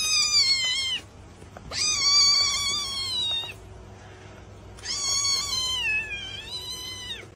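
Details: Cat meowing while trying to save its friend: three long, loud, high meows, each about a second, the last wavering and falling, separated by pauses with steady low background hum.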